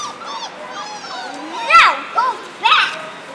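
Four-week-old German Shorthaired Pointer puppies whine and yip in thin, high voices that slide up and down in pitch. Several short, louder yelps break through the steady background of overlapping whimpers.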